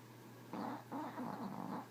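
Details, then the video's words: Snoring Chihuahua, a single rough, fluttering breath lasting over a second, pulsing rapidly with a nasal buzz, against a faint constant electrical hum. "Snoring chihuahua"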